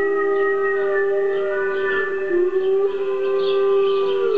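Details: Gordi the pet dog howls in reaction to recorded wolf howls played back: a long, steady, tonal wail held at one low pitch with rich overtones, barely wavering, with a faint dip near the middle.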